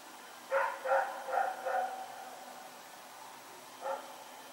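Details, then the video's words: Rex the dog barking while running around at night, recorded September 21, 2018: a quick run of four sharp barks, then a lone bark near the end, against a low steady background hum. "Pyrga Barking Nightmare"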